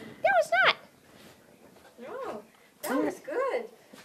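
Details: Maxine, a 1.5-year-old female Jack Russell Terrier, barks indoors as people leave the house. Sharp high yaps come as a quick pair, then three more, with some speech around them.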